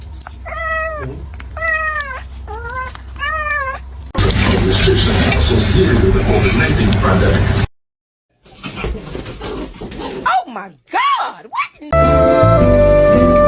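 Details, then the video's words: Kitten meowing indoors: four clear, arching meows in quick succession at the start, then a burst of loud noise and music, a short silence, a few rising-falling squeals and more music. "Kitten meowing"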